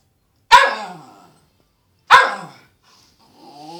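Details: Two sharp, explosive barks from Poppy the Cairn terrier, about one and a half seconds apart, each fading quickly, followed by a softer whine at the end.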